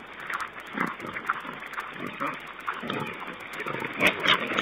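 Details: Wild boar on a wildlife webcam, 11 May 2010, giving a rapid run of rough, snorting grunts, several per second with uneven spacing, over a hissy, muffled stream background.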